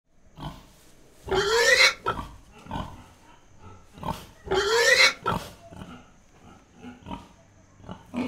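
Wild boar giving harsh, rising squeals between softer grunts.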